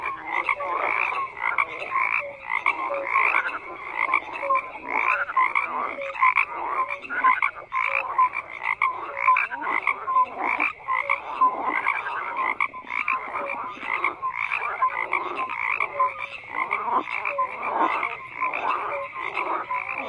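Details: A thick frog chorus of steady overlapping croaks, rattles and short tonal notes that never pause, with many callers heard at once.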